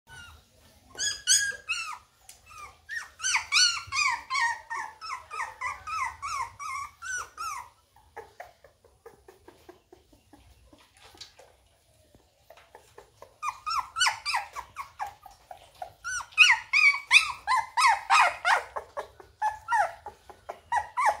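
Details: Labrador Retriever puppies playing indoors: bursts of high, harmonic yelps and squealing whines in quick series, a quieter stretch midway, then another lively burst of overlapping yelps.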